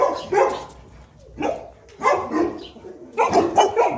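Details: Playing Boerboels Enzo and Diva, a South African Mastiff pair kept in Egypt; scattered short barks and yelps in separate bursts about a second apart, with a quieter stretch in the middle.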